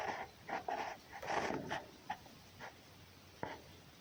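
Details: Wild red fox named Markiza scolding and expressing displeasure: short, harsh, raspy bursts in an irregular series, about six in four seconds, with quiet gaps and faint background hiss between them.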